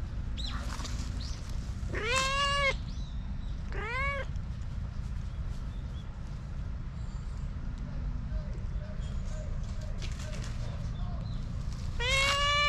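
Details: Stray cat, formerly abused and now trusting people again, meowing outdoors: three loud drawn-out meows around two, four and twelve seconds, with fainter short mews between, over steady low rumbling background noise.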